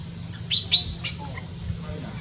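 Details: Shrill, piercing squeals from a newborn baby monkey in Cambodia, born up in tall trees: three quick high cries packed into the first second, then quieter, with a faint low hum underneath.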